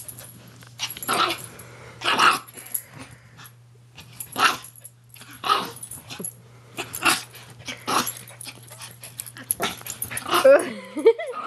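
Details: Two Maltese dogs play fighting indoors, giving short rough growls and snarling bursts, each under a second long, in quick succession with gaps between, a steady low hum under them and a person briefly speaking.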